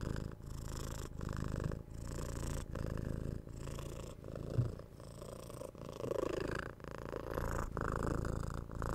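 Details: Domestic cat purring steadily, recorded at home ear to ear for stress relief; low buzzing rumble with regular breath breaks about every 0.75 seconds, slightly louder on some exhalations, no speech.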